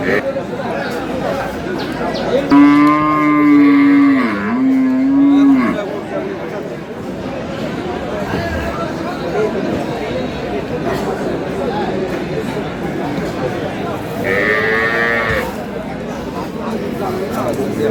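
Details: Cattle at Aftabganj market, Dinajpur, Bangladesh, where improved-breed dairy cows and calves are traded: a long, steady, low moo with a dip midway, then a shorter higher moo later, over crowd noise.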